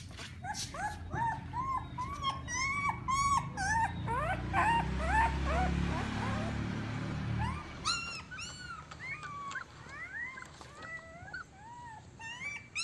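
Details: Siberian Husky pups of a litter of eight at a yard in Remels, Germany, producing many short rising whimpers and squeals, overlapping, with a low rumbling noise in the middle and clearer whining toward the end.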